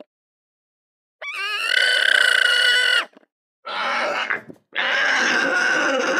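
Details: Alpaca calling in three loud, sustained, buzzy bursts with a steady mid-high pitch and rich harmonics. The first rises into a long wavering tone, followed by two noisier cries after short pauses.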